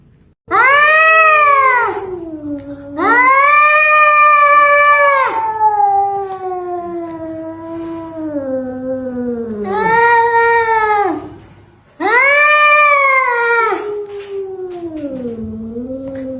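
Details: Domestic cat from a funny compilation, giving four long, loud, drawn-out wailing yowls, each swelling then sliding downward, the second trailing into a long falling moan, with short pauses between.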